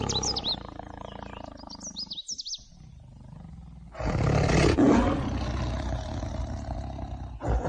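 A tiger gives a deep, rumbling roar after a few seconds of high bird chirps.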